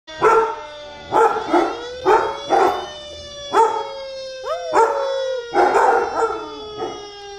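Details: Achilles, a two-year-old Labrador-Chow mix, howling at a fire truck siren: repeated mid-pitched wavering howls roughly every half second to second, over a steady high siren tone that slides slowly downward.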